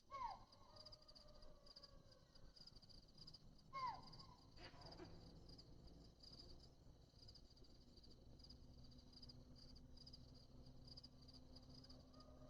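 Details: A monkey in the Masinagudi forest near Mudumalai tiger reserve gives two loud, harsh alarm barks as a leopard crosses, over a steady buzz of crickets.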